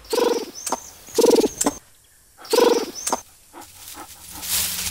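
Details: Lemurs in Madagascar give harsh, buzzy alarm calls in short bursts, warning of an approaching fossa, the island's largest predator; the lemurs escape.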